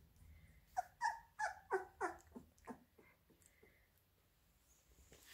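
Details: Labrador Retriever puppies fed minced beef give a run of about eight short, high whining yelps over two seconds, each slightly falling. A few softer single whines follow, then near silence.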